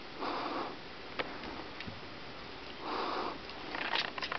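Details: Kitten sniffing indoors: two soft, breathy bursts of rushing noise about two and a half seconds apart, each lasting roughly half a second, with a few faint clicks and taps between them.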